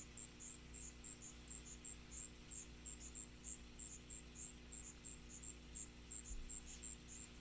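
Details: Allonemobius fasciatus, the striped ground cricket, giving brief high-pitched chirps in quick, slightly irregular succession, about three a second, with a constant low background drone.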